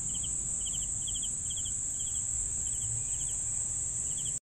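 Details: Cricket chirps in quick trilled bursts at a regular pace, set against a constant high-pitched insect drone and faint low rumble, ending abruptly.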